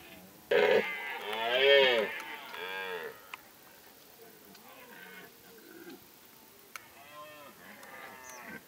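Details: Massed roaring of rutting deer in Kopački rit Nature Park, Croatia, a no-hunting reserve: a loud, arched, moaning roar near the start, then fainter overlapping roars and bellows from further off, with a few sharp clicks.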